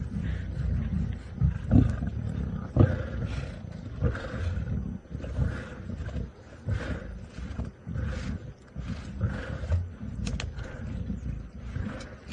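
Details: Full-bellied lions of the Nkuhuma Pride growling while feeding on a buffalo carcass, Sabi Sand, South Africa, sunset drive in March 2018: low, gravelly, irregular growls in uneven bursts with brief quieter gaps.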